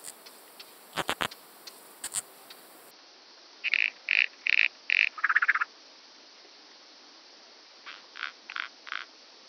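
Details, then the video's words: Common pincer grasshopper (Calliptamus italicus) on Pag, Croatia, on 2 September 2019, picked up with an ultrasound detector: short, dry buzzy pulses in groups of four to five, with a few louder clicks early on and a fainter later series. "Calliptamus italicus -- Italienische Schönschrecke -- Common Pincer Grasshopper"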